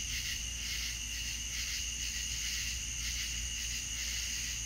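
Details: Crickets in a southern night chorus, many insects sounding at once as steady high shrill bands with a soft pulsing shimmer about twice a second, plus a low constant rumble beneath.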